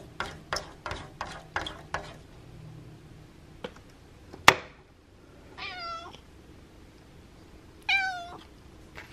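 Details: Indoors on a windy Monday, pet cat Abby asks politely to have the window opened: a run of sharp tapping knocks and a loud bang, then two drawn-out, wavering meows several seconds apart.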